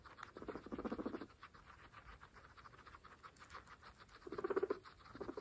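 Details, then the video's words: Pregnant guinea pigs feed on fresh grass, kept as a group of 26 females; two low pulsed chuttering bursts about three seconds apart rise over continual fine chewing and rustling. "Pregnant Guinea Pigs fresh grass Mukbang (ASMR)"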